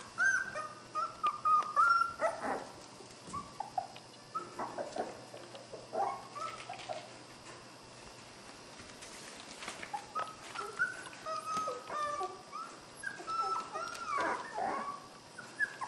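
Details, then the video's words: Playful puppies from a dog named Skar wrestle, letting out strings of high whining yelps and squeals in clustered bursts, a quieter gap in the middle, then more squealing yips toward the end. "Puppy Play Time"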